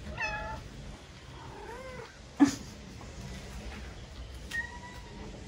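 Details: Talkative stray cats, newly used to people, in a family's garden in Paraguay; several separate meows, some wavering and bending upward, others short and level, with a sharp knock midway and steady low background hum.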